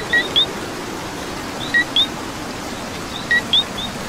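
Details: Coqui frogs calling in rain in Puerto Rico: a clear two-note "co-qui", a short low note followed by a higher rising chirp, repeated about every one and a half seconds over steady hiss of rainfall, with fainter distant frogs.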